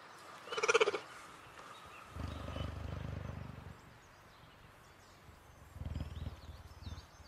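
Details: A cheetah indoors: a brief sharp noisy burst, then two low, throbbing rumbles, the first about a second and a half long and the second shorter, with quiet between them.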